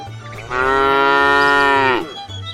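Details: One cow from a tame herd heading to fresh pasture gives a single steady, rich moo lasting about one and a half seconds, ending with a slight downward slide, over a faint low rhythmic background.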